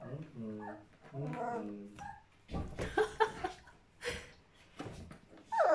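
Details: Border Collie puppies, a lively little pack up to mischief, whining in two drawn-out harmonic cries, then scuffling, short yips and clattering noises, ending with a sudden loud rising squeal.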